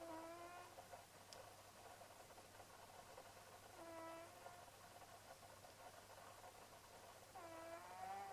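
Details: Leonardo, a pet cat known as Leo, snoring while asleep: three soft, tonal, whistly snores with a nasal buzz, spaced about every three and a half to four seconds, over a steady low hum and faint hiss.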